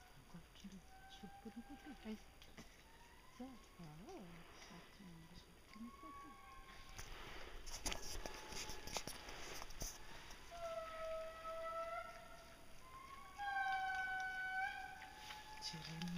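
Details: A young male Indri (Babakoto) in Parc Mitsinjo near Andasibe, Madagascar, in June 2011, gives long, wailing, tonal notes that glide and fall, swelling louder toward the end.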